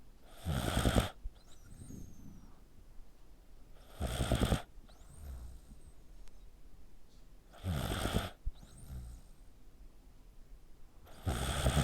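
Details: Pet dog snoring like a human, its neck squeezed tight as it sleeps: loud, rough, broad snores lasting about a second, repeating roughly every three and a half seconds, with faint whistling wheezes and quiet breathing in the gaps.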